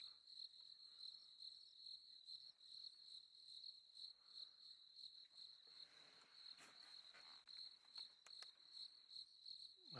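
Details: Crickets chirp steadily at a high, even pitch, a continuous pulsing trill at sunset on a safari drive, with lions roaring in the area; crickets.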